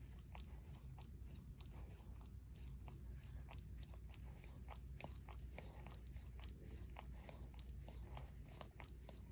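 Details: Close, quiet paw licking by Barry, a pet Shorkie, in a small room; crisp wet smacks fall in a regular rhythm of about three per second, with only a low hum behind.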